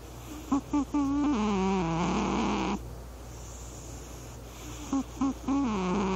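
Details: Snoring house cat Robocop, deeply asleep in a lap, recorded by phone; short squeaky whistles, then a long sliding nasal tone dropping in pitch, a pause, and another burst of brief chirpy whistles near the end over a low background hum.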